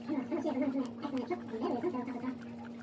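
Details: Pet guinea pigs making loud noises: quick runs of short, low squeaky notes in two bursts, about six or seven notes each, over a steady electrical hum.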